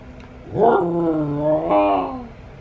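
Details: Alaskan Klee Kai (Canis lupus familiaris), vocalization.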